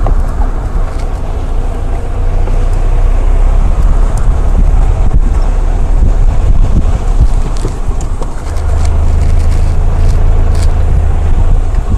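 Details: Steady loud rumble of a vehicle engine with wind buffeting the microphone on a sunset safari drive in the Rietspruit Game Reserve, Lowveld, South Africa, with no animal calls.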